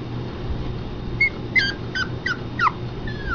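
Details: Pomeranian puppies, two young pups of the dog Honey named Keisha and Honeybear, giving a series of short high whimpers and yips, each a brief falling squeak, about five in three seconds over a steady low hum.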